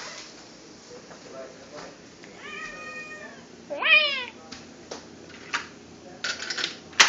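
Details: Cat mating call: a faint, level yowl followed by a louder yowl that sweeps sharply up then falls, set against steady hiss and scattered clicks.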